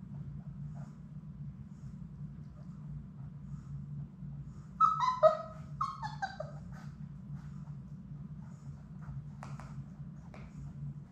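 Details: Labrador Retriever puppies, a litter of six, at play in an indoor puppy room. A loud burst of high, wavering whines and yelps rises and falls for about two seconds mid-clip, then a few faint squeaks against a low background hum.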